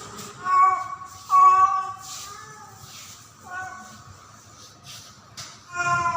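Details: Female domestic cat in heat during mating season, calling for a male cat. Short, flat, harmonic meows come in four separate bursts, each under a second long, with gaps between them. A faint background hum and some clicking are also audible.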